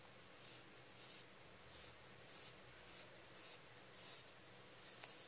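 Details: Rabbit in deep sleep making 'soo-pee' snores: around nine quick, sibilant breath bursts in five seconds, closely and steadily spaced, with a faint thin steady whine entering in the second half.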